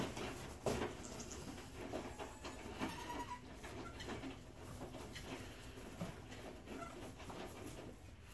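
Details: Newborn Nigerian Dwarf goat triplets, two does and a buck, born to the doe Woody Glen Jamocha Fudge on 10 March 2018, first arriving at 4:50 AM; thin, wavering high bleats come in short bursts over rustling and a steady low hum.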